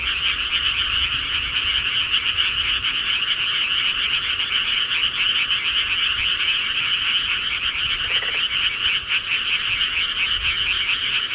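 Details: Frogs at night in the countryside keep up a thick, continuous pulsing chorus of high croaks, dense and even, with a brief lower call poking through around the middle.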